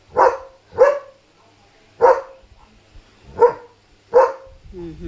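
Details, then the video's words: German Shepherd at night barking at a stray dog seen in vehicle headlights, guarding its area: five strong barks at uneven intervals of about one second, with low rumble between them. "Leo Knew There Was a Dog Outside! Smart German Shepherd"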